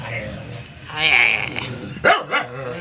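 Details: Shady, a doodle poodle, gives a drawn-out whining yelp and then two short, sharp barks in quick succession, with a voice talking in the background.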